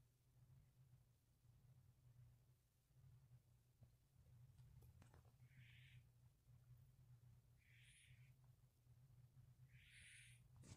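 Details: Firestar the kitten snoring in sleep on May 19th 2020, with Midnight sleeping quietly beside; faint breathy hissing snores roughly every two to three seconds, growing louder toward the end, over a steady low hum.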